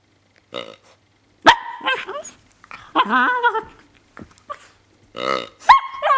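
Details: Seven-month-old female Miniature Pinscher making strange sounds while playing with her toy pig: odd grunting, squeaky warbling whines and yelps in short bursts, some with wavering pitch.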